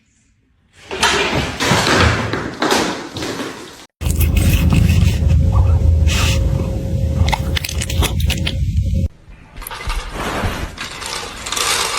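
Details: Loud scraping and rumbling household noise with a brief break and a faint steady hum, and no animal call can be picked out.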